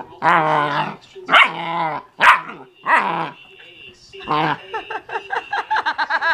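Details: Playful 12-week-old German Shepherd Husky mix puppy with her first porkhide roll gives four long harmonic barks, then a rapid train of short yips and grumbling barks near the end.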